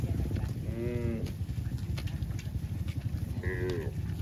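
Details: A cow running back to the barn makes two short, bright moos about two and a half seconds apart, over a dense low rumble like wind or engine noise.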